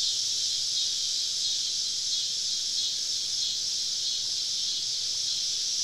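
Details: Woodland cicadas on a summer evening, heard while camping in the southern woods: an unbroken, high-pitched electric whine holding steady in loudness, with only faint irregular wavering and nothing else audible.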